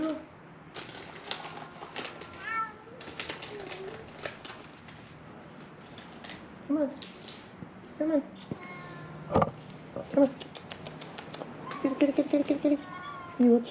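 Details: Hungry feral cats on Mare Island, Vallejo, California, crying while being fed; scattered short meows and rising chirps between clicks and handling noises, with a man's soft speech throughout.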